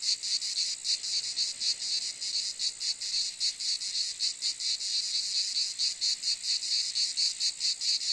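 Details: Cicada calling: a dense high-pitched buzzing made of rapid pulses, repeated steadily with slight unevenness through the whole stretch, no other sounds standing out.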